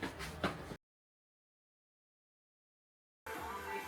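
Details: A brief burst of music and voice, a long gap of silence, then more background music, with no animal sound.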